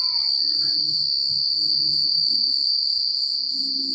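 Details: Crickets at night in the country produce a continuous piercing trill, while a short descending whistle-like note opens the clip and a gentle low rustle of wind runs beneath.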